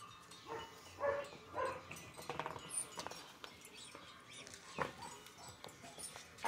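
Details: German Shepherd puppies from a litter of Bella and Brahm, two liver and tan and one black and tan, give short high whimpering squeaks in the first two seconds, followed by scuffling, tapping and rustling noises.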